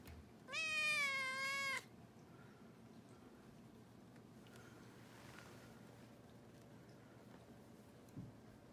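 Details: Rescued kitten, one of two, on its 67th day in a new home at New Year, gives a single drawn-out high meow, clear and richly harmonic, lasting just over a second, followed by a quiet room.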